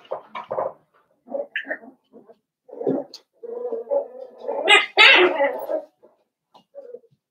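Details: Blenheim Cavalier King Charles Spaniel puppies, a litter of five born at New Year's, in a home puppy pen; a run of short whimpers and yelps over seven seconds, climbing to a louder squeal near the end.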